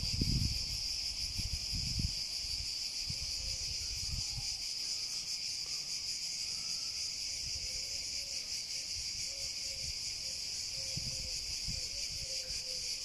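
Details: A dense cicada chorus holds one sustained high hiss, with faint soft chirps in the middle range and a little low rumble early on.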